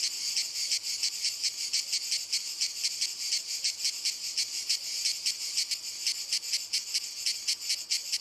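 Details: Cicadas singing in walnut trees: a dense, high, buzzing drone with rapid pulsing throbs several times a second, steady throughout, several insects overlapping, no other sounds.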